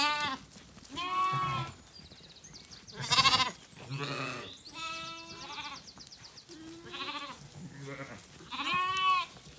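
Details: Zwartbles sheep on a farm in County Kilkenny, Ireland, settling for the night at sunset after feeding, a lamb calling and a ewe answering; several wavering harmonic bleats, some high and thin, others lower and fuller, overlapping at times.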